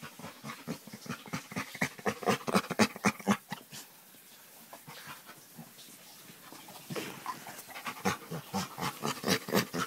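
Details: Back scratch draws weird sounds from a chocolate Labrador: regular huffing pants about four a second, some voiced grunts, a quieter stretch mid-way, then the panting resumes.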